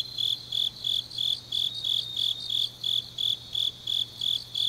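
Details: High, regular chirping of grass insects late on an autumn night in Changnyeong, South Korea; short bright pulses repeat about three times per second against a background of softer insect trilling and a faint low hum.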